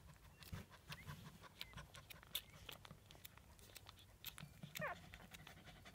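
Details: One-day-old Shih Tzu pups, a litter of seven, feeding; steady soft clicking and smacking throughout, with a short thin wavering squeak near the end against low background hum.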